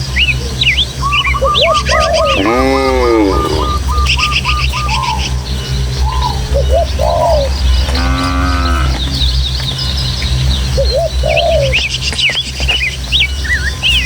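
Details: Herd of tame village cattle heading home to the pen through hills and rural paths: two rich, harmonic moos, the first longer and wavering, the second shorter, amid constant chirping and whistling birds and a low background drone.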